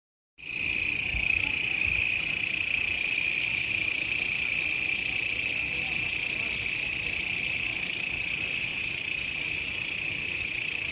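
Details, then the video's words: Grasshopper sound used as master audio for training songbirds: a steady, continuous high-pitched buzzing trill starting abruptly after a brief silence and holding unbroken throughout, with strong bright bands and no other sounds. "SUARA BELALANG,MASTERAN BURUNG YANG SERING DI CARI-CARI OLEH KICAU MANIA"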